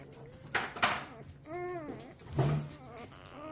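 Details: Newborn Golden Retriever puppies from Rosie's litter of twelve, born 4/25/23, indoors while dreaming: short wavering squeals, one drawn-out squeak and a brief higher yelp, with soft background rustle.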